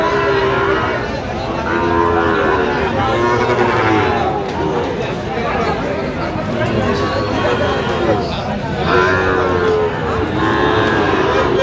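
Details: Sahiwal bull calves at a busy cattle market where a Khulna farmer buys stock, 17 October 2025. Several long, arching moos sound, one around the fourth second and another near the ninth, over a constant crowd murmur and men talking.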